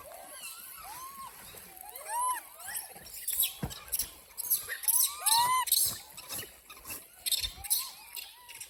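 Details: A group of hungry monkeys gives bursts of bright, curving squeals that rise then drop, in clustered runs with short pauses, plus a few sharp clicks and thumps.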